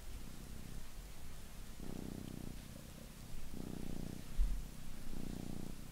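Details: Two domestic cats indoors washing each other's faces, purring low and steady in pulses about every one and a half seconds, each swelling and fading with breathing, over faint room hiss.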